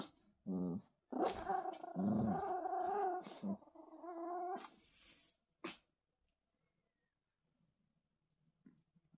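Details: Toy Poodle puppies in a tug-of-war game, one small pup fierce and ultimately winning; a short growl, then a long sustained rumbling growl lasting about four seconds, a brief snap, and near silence after.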